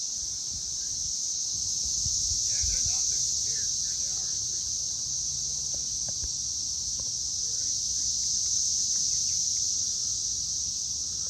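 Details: Loud cicadas calling on May 24, 2024 at 6:00 pm, a continuous high, hissing buzz holding steady for the whole stretch without pause, with faint voices and a few brief background noises underneath.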